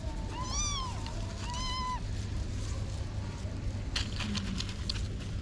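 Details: Kittens about six to eight weeks old, their mother missing for a week, found at a parking garage gate and moved to a safer spot: two high, arching meows in quick succession, then quiet with a few clatters over a low hum.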